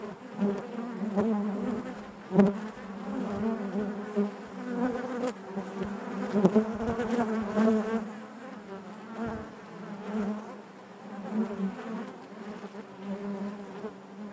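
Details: Natural hive sound of honey bees, a thick, humming buzz with a low steady core and shimmering overtones, varying in intensity, interrupted now and then by short sharp clicks.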